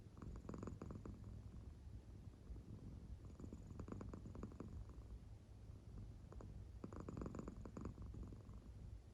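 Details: Sleeping deeply, the American Shorthair cat Claire purrs gently. Three rasping breath swells of rumbling purr come at intervals of about three seconds, with quieter low drone between them and no other sounds.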